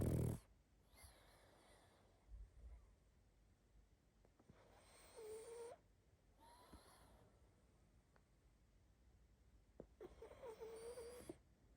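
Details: Sleeping pug snoring and snuffling: quiet, airy breaths come in short bursts every second or two, some carrying a thin whistling tone, with near silence between them.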